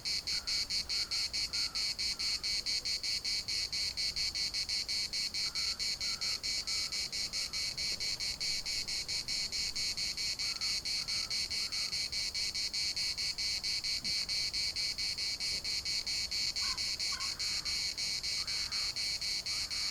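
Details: Chorus of cicadas in a municipal park in Larnaca, a steady pulsed buzzing rhythm of about two beats per second, with short raven-like calls at intervals and soft wind rustle behind.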